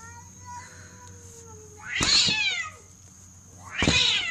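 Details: Domestic cat meowing twice, each a loud harsh drawn-out cry about two seconds apart, with a faint steady background hum between calls.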